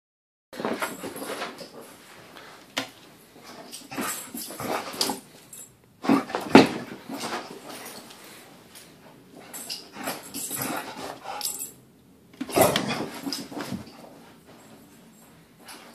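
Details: Pit bull indoors celebrating getting home after a weekend away, giving excited, breathy whines and whimpers in long rough bursts with short silent gaps between them.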